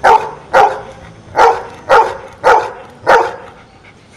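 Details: Counting dog answers a math question with a run of barks: six punchy, mid-pitched barks at slightly uneven intervals, each about half a second apart, room otherwise quiet.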